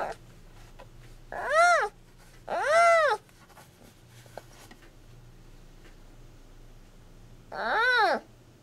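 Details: Giant panda cub Yuan Zai's recorded calls, played from a Bluetooth speaker inside a plush doll to keep mother Yuan Yuan in a nursing state during hand-rearing at the zoo. Three loud arched, harmonic squeals at well-spaced intervals over quiet room hum.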